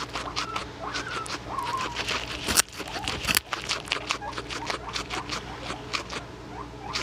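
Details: Trufflepuff, a pet guinea pig, eating a carrot: rapid crunchy chewing clicks fill the clip, with brief faint squeaky tones near the start and two sharp handling knocks midway.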